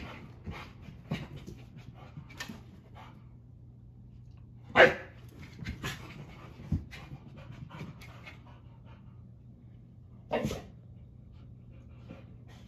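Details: Rescued dog Bella, once left tied outside a gas station for over nine hours, breathes and pants in short bursts, with a sharp loud snort or huff near five seconds and another around ten seconds, against quiet hum.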